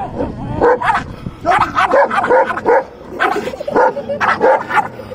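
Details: A puppy and a dog play fighting. Short, sharp barks and yips repeat about twice a second in uneven clusters, mixed with rough growling underneath.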